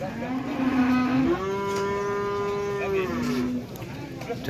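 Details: One sustained bellow from jumbo cattle at an Indonesian cattle market where late-arriving rare animals draw competing buyers; the low moo swells upward, holds steady for about two seconds, then drops back, over a steady hum of market chatter.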